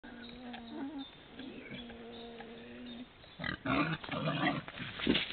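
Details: Wild boar (Sus scrofa) in summer give drawn-out, whining squeals followed by harsh, noisy grunts and snorts.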